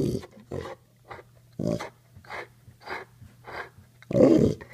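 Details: Male pet Pitbull Mastiff "talking" indoors, answering a person's coaxing to say I love you with short low groaning vocal bursts, alternating with human speech and a steady low hum.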